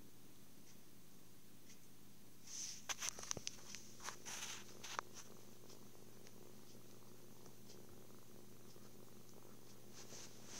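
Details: Kitten purring happily while cuddled, fed and sleeping: a steady low drone throughout, briefly overlaid by rustling and scratchy handling sounds around the middle, filmed on a phone.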